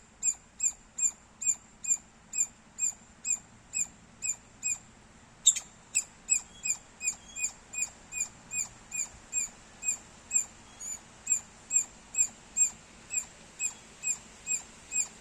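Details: A squirrel chirps loudly and persistently, crisp high notes repeated at a brisk even pace of just over two a second, broken once by a sudden sharp knock before the series carries on.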